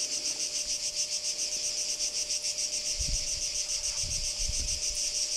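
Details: Cicadas at Kardamyli in 2013 giving a quieter pulsed high buzz, beating a little over three times per second, with a steady faint hum underneath and a few low knocks.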